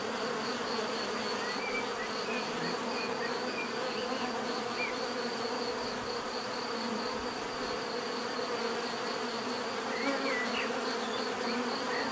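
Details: Bees buzzing in a steady, dense drone with layered hums from many insects, continuous throughout; faint bird chirps flicker in the background.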